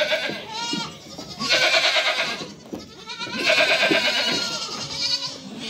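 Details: Doe and kids calling: three drawn-out tremulous bleats roughly two seconds apart, each rising then sagging, the later ones fuller and louder, with faint thinner voices beneath.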